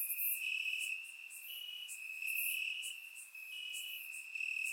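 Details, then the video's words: Grass-dwelling crickets in Bulgaria chirp through a warm summer night, surround microphone; a constant piercing trill with short sharp bursts rising and dipping in loudness. "Cricket Sounds - Crickets Chirping at Night"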